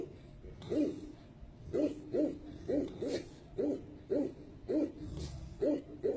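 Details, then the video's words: Tibetan Mastiff voicing low, booming single woofs in a steady series, about two per second, each short and deep. "ssc doggy tibetan mastiff"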